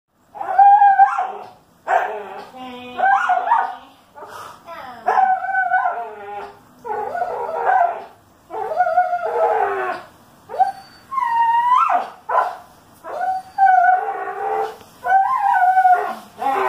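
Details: Dog whining during a game of tug of war, recorded June 2018: a long series of high, wavering whines and yelping moans, each around a second, rising and falling in pitch, repeated almost without pause.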